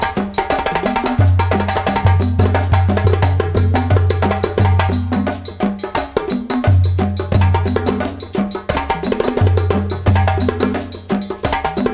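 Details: Upbeat percussion-driven music with a steady drum beat, woodblock clicks and a repeating low bass line; no animal sounds are heard.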